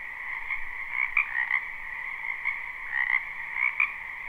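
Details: Many frogs croaking in a spring wetland behind a home, live recording: a steady trilling chorus punctuated by repeated louder croaks about every half second to second, pulsing in short bursts.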